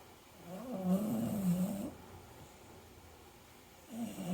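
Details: American Cocker Spaniel dog snoring while asleep: a low rasping snore builds for about a second, then quiet breathing, with another snore starting at the end.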